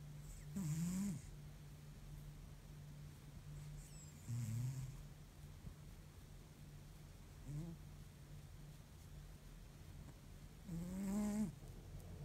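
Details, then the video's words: Tired house cat in deep sleep snoring like an old man: four rasping, low snores spaced roughly every three to four seconds, softer between, steady background hum. "deep sleep cat snores like an old man"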